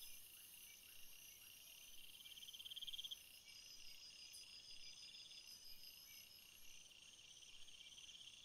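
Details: Several crickets sing in a natural setting: a bright pulsed trill builds and peaks around the third second, then the chorus settles into a steadier, slightly lower high-pitched hum.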